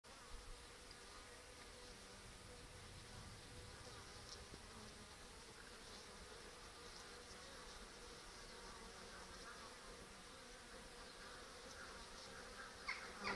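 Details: A steady, dense hum of many Western honey bees (Apis mellifera) buzzing at a restricted hive entrance with a mouse excluder on 14 October, the colony still rearing brood and bringing in ivy pollen.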